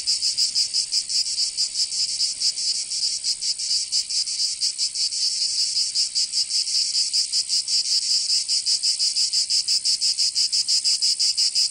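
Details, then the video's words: Cicadas in the southern French region of Provence during summer, producing a harsh, piercing buzz that pulses rapidly and somewhat unevenly throughout, the only sound present. "Canto Cigarra 🦗 [ Escuchar les cigarras en verano 10 H]"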